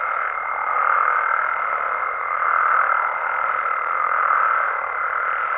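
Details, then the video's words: Night chorus of frogs and toads in Mexico, steady overlapping croaks swelling roughly every second or two, accompanied by a clear, constant high-pitched tone from start to finish. "Mexican Frogs & Toads Sounds"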